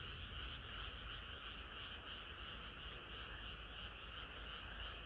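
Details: Frog chorus on a hot summer night: a continuous, blurred croaking drone of many overlapping frogs, with little distinct pulsing and a steady low rumble beneath.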